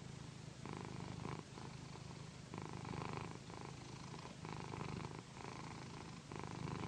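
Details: Pandy, a female pet cat, purring during a satin pillow massage; a rich rumbling purr that swells and pauses with each breath, roughly every second, inside a quiet room.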